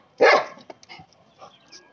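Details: German Shepherd. A German Shepherd lets out a single sharp, full-throated bark that cuts off quickly. Only a few soft knocks and rustles follow in the quiet afterward.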